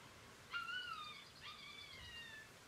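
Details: Galgo Español puppies from a 2018 litter at Kennel Grey Mountain: two clear, tonal whines, each sliding gently downward with bright overtones, the second following about a second after the first, over a quiet hiss.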